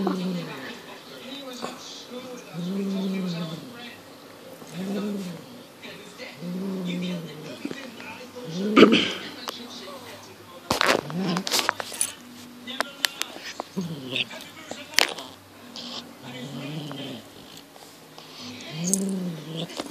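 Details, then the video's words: Highland Lynx cat Monty, six months old, with instincts kicked in while playing with a fox tail: low, drawn-out moaning tones repeated about once a second, followed by sharp clatters and knocks. "Highland lynx 6 month old"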